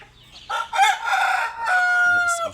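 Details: Eight-month-old Asil-Kelso cross gamecock of 3.2 kg crows clearly: a rising opening then a long, even, sustained tone ending abruptly, with little else heard.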